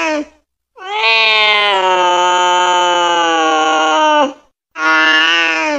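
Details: Cat calling its friends and mother: one very long, drawn-out harmonic meow lasting over three seconds, steady and loud, with a short clipped cry before it and another beginning after a brief pause.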